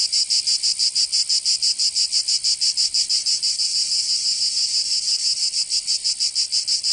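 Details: Summer cicada chorus in Provence, southern France, a harsh sizzling high buzz throbbing in quick regular pulses, roughly three per second, continuous and unbroken.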